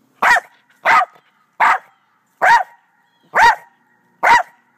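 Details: Six loud, evenly spaced barks, roughly one every 0.8 seconds, from Doe, a black terrier in the back yard with two white Rat Terriers; the barks are clean with silence between them.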